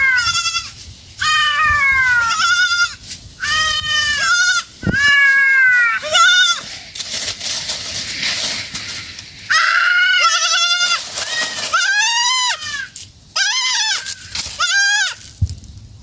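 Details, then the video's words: Family of goats eating in a forest, calling with many loud, wavering bleats in quick succession, several voices overlapping with short pauses between bursts. "The Sound of a GOATS lost in the Forest"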